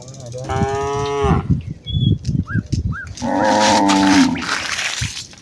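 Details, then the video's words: Cows of a village herd heading out to the fields one morning, calling to one another: a loud drawn-out moo, then trampling and brief chirps, then a second lower, rougher moo over rustling noise. "A herd of village cows walk towards the fields with their distinctive "moo" sound in the morning"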